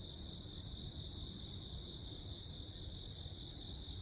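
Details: Jeju Island crickets sing through a lightning storm on 15 August 2024, their dense, high-pitched pulsing chirps overlapping continuously above a persistent low-frequency rumble.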